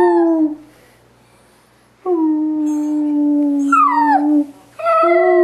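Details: A Dachshund "sings", howling in long, steady, mournful tones, the last one bending up then sliding down.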